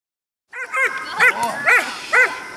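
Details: Six-month-old German Shepherd during protection training with a helper; four to five sharp, high, ringing barks spaced about half a second apart, each with a bright upward-sweeping onset.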